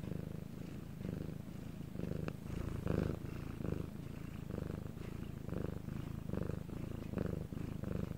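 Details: Night recording in Korea of pet cat Bangul purring: throaty, low rumble pulsing with inhale and exhale, around ten swells in eight seconds, with a brief click near the middle.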